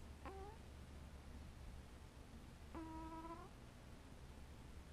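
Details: A cat making sleepy noises while sleeping: two soft harmonic chirping calls, a short one rising near the start and a longer, slightly wavering trill a few seconds later, over a steady low background hum.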